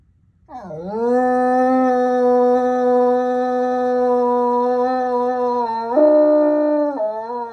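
A bloodhound gives a long, sustained howl that dips low, then holds a steady mournful tone.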